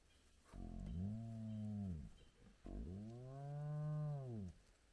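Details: Large spotted hyena clan gathered at its den with active cubs at sunrise. Two deep, drawn-out harmonic groans, each lasting over a second with an arching pitch contour, separated by a short pause.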